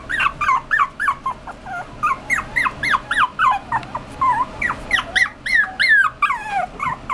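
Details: A puppy crossed from Poodle and Chihuahua keeps up an insistent whine, quick squeaky yelps sliding up and falling off, roughly three a second with brief breaks, over quiet indoor background.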